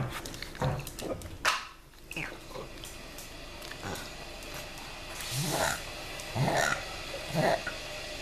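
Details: Pug back indoors after a long walk outdoors, making funny noises: a few short, rough snorting grunts spaced about a second apart, with faint room noise between them.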